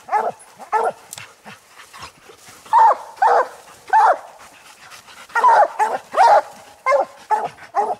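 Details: On a raccoon hunt, treed coon dogs, old Lucky, Mossie and year-old Star, give loud chopped barks, spaced under a second apart, with a few softer barks between the strongest ones.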